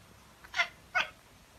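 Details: Domestic cat, one of a calico and a tabby pair, giving two short, bright meows about half a second apart over a quiet background, followed by a man speaking Italian.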